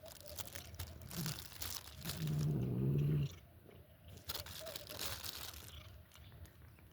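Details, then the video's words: Cat eating indoors with crunching and biting clicks throughout, broken by one brief, low humming growl lasting about a second. "makes strange noises while eating"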